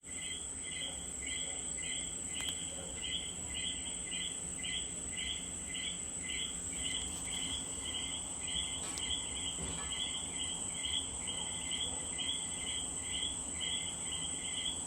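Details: A Puerto Rican common coquí calls a quick, repeated two-note chirp against a steady high insect whine.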